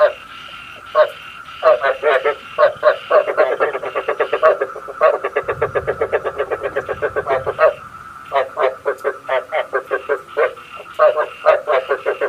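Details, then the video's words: Frogs calling for use as a trapping lure at night: long runs of quick, throaty croak pulses, a steady train in the middle and choppier, spaced bursts at the start and end. "Tiếng ếch mồi"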